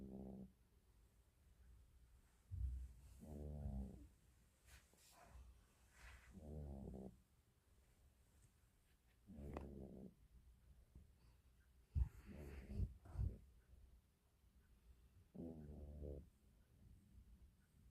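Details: Sleeping cat snoring indoors, with low, raspy, purring-like breaths at irregular intervals of two to four seconds, mixed with a few soft clicks and rustling sounds.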